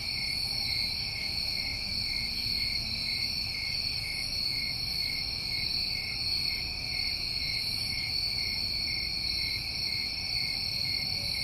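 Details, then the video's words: Crickets on a New England summer night, many calling at once as an unbroken high-pitched ringing trill with stacked overtones, steady in loudness throughout, with a faint low hum beneath. "Over 1 Hour Of Tinnitus Masking With Crickets"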